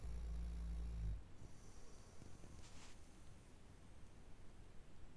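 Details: Labrador Retriever snoring: one deep, rumbling snore lasting about a second, low and harmonic, then quieter steady breathing with faint high hiss.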